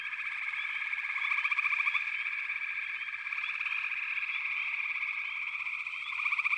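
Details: A thick wall of frog calls: a constant high whirring tone dotted with short upswept chirps. Stronger rapid pulsing croaks surge around one to two seconds and return at the end.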